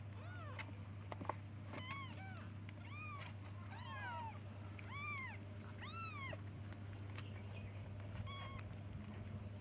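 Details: Kittens meowing to call their mother: about eight high-pitched, arched mews in a row, each rising then falling, spaced roughly a second apart, over a constant low background hum.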